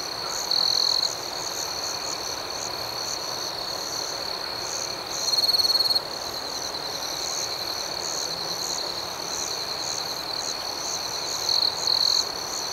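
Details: Night cricket chorus: a constant high trill, with three louder, purer bursts about five seconds apart, each lasting roughly half a second.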